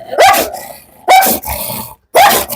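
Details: A dog, long kept in a cage for years, barks in three sharp bursts about one second apart, each loud, harsh and noisy with a brief tonal peak, separated by near quiet.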